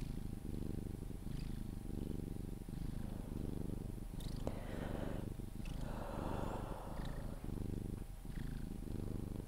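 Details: Sphynx cat purring while being cuddled, continuing until it falls asleep; a deep, rumbling purr in steady pulsed stretches that rise and fall with each breath, broken midway by soft rustling and brief kissing or handling noises.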